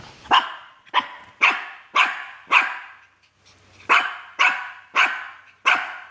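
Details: Shih Tzu dog barking while pestering a myna bird: nine sharp, harsh barks in two bursts, spaced about half a second apart, with a short pause midway.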